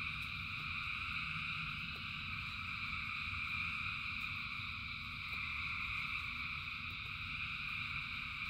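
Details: A huge gathering of frogs sings through the rain, their overlapping trills forming a steady, ringing wall of sound above a persistent low rumble and occasional light ticks.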